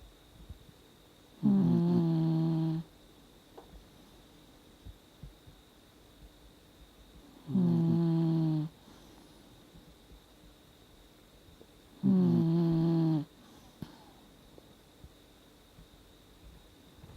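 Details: An elderly Dachshund, 17 years old, snoring while sound asleep: three separate drawn-out buzzy snores, each lasting over a second and spaced roughly five seconds apart, with quiet breathing and faint room hum between them.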